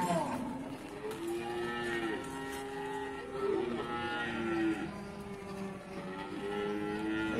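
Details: Many cattle lowing at the Bumiayu livestock market in Indonesia, long steady moos overlapping one another almost without pause over a constant din of market chatter and distant music.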